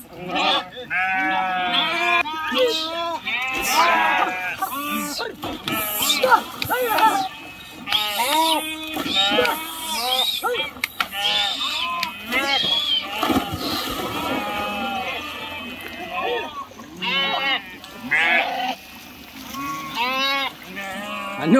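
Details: Flock of sheep crossing a river, swimming and jumping into the water, bleating constantly: many overlapping wavering, quavering bleats from several animals at once, with splashing and people's voices mixed in.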